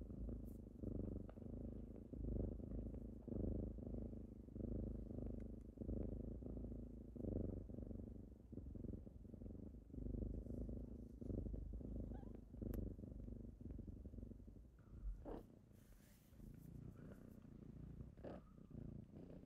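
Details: Kittens purring on a typical morning as they wake their owner; a steady low rumbling purr pulses in rhythmic breaths, roughly one cycle every second or so, with brief rustles and a soft brushing noise near the end.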